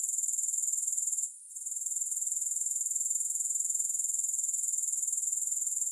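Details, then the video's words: Grasshoppers keep up a sharp, high-pitched pulsing drone. It briefly hushes after about one second, then resumes at an even rate. "3 Hours of Grass Hopper Sounds"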